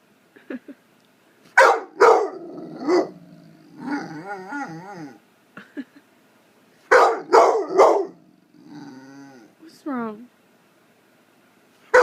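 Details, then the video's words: Male American Pit Bull Terrier, nine months old, blue fawn, barking to get attention: bursts of two or three loud barks mixed with wavering, pitch-sliding whines and yowls, with brief pauses between. "9 month old blue fawn Pitbull barking at nothing"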